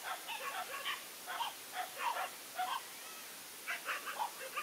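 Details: Big Asian dog waiting for a fight, barking in bursts of two to four quick barks, repeated several times over steady hissing background noise.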